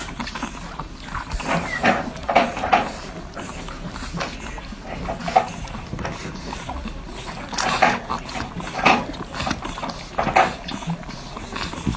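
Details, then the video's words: Newborn French Bulldog puppies nursing, heard up close: soft wet suckling clicks run throughout, with faint short squeaks rising now and then, in bursts around two, five to six, and eight to ten seconds. "The Sounds of Life: Newborn French Bulldogs Nursing"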